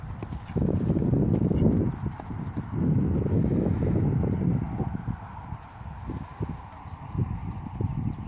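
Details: A Dutch Warmblood horse being sold moves with dense, heavy hoofbeats: loud low thumps in close, uneven succession, easing slightly past the midpoint before picking up again, with a broad rumbling background.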